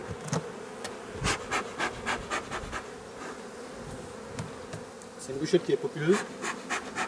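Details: Honey bees heard while drone-laying colonies are being replaced: continuous low buzzing of the hive beneath a series of soft rhythmic puffing bursts, with a short human voice near the end.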